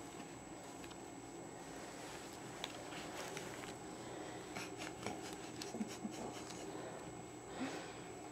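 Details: Quiet indoor scratching, rubbing and light tapping sounds in a small room with a faint steady hum, no animal voice.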